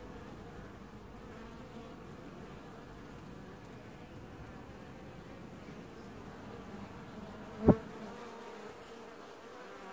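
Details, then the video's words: Honey bees wash-boarding at their hive in an apiary, early July 2019: a low, even hum of the colony throughout, broken near the end by one sudden sharp knock or thud. "Washboarding Bees & Ambient Sounds"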